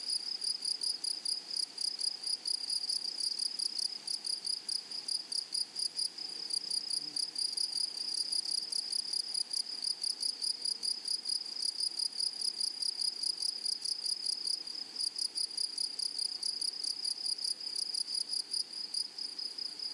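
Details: Grasshoppers calling in a flowering meadow: a constant, piercing, finely pulsed insect trill, high and unbroken, with two stacked bright tones and a soft background hiss.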